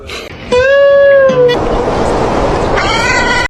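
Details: Domestic cat giving a single drawn-out meow, a steady, level tone held about one second, then dropping briefly before a long stretch of broad hissing noise and a second harmonic cry near the end.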